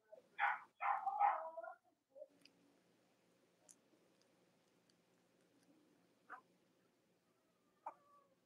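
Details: Cavalier King Charles Spaniel puppies from the litters of Robin and Myra, kept indoors on a chilly Monday morning near Halloween in the US. A quick burst of three sharp, high yapping barks opens the clip, followed by a quiet room with a few faint clicks.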